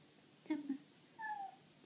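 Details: Pet cat indoors meowing happily at a wall nail it mistakes for a bug as prey: two short soft chirpy mews, then a thin drawn falling tone, with a person's voice close by.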